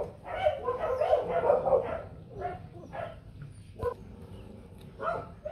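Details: Rottweiler puppies from a litter of four, two males and two females, with their mother Hanna Gervi at a kennel in 2024, giving a run of harmonic, squeaky yelps that bunch together early, then come in scattered single bursts.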